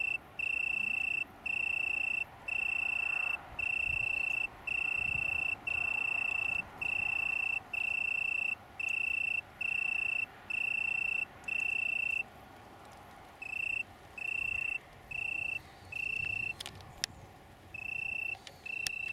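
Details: Italian tree cricket (Oecanthus pellucens) from a small colony near Brighton, UK, 21 September 2019. Pure, steady trilled bursts, each about half a second long, repeat almost without pause. After a brief break near twelve seconds, shorter bursts follow, over faint background hiss.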